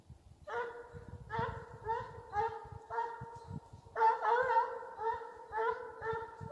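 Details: Russian hound in Ivanovo Oblast, Russia, voicing on the chase: close, loud bays given about twice a second in distinct pulses, each bright and harmonic, with a slight rasp at the onset.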